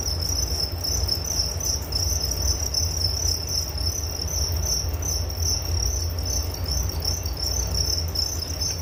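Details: Crickets heard as a calming nature sound for sleep: a steady, thin, high trill with gently beating pulses carries on evenly over a persistent low-pitched rumble.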